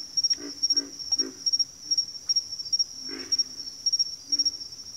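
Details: Frog chorus with pig frogs and water frogs named: low, hoarse grunting croaks in quick bursts of two or three, repeated about every half second to second, over a steady high insect whine throughout.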